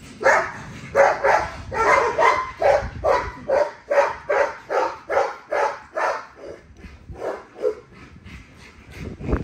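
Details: Female XL ghost tri American Bully barking while being exercised: about fourteen sharp, loud barks, each roughly half a second apart, steady at first and then thinning out into a few spaced barks at the end.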